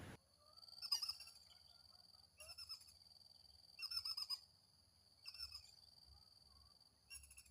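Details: A small squirrel, said to be eating and wanting to mate, gives bursts of sharp, bird-like chirps about every one and a half seconds.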